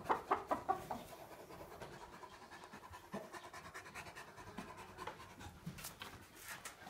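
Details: Tornjak, a Bosnian-Croatian livestock guardian dog, resting in the shade alongside a Ciobanesc de Bukovina; soft rhythmic panting breaths, rapid and steady, with a few brief clucking sounds at the start.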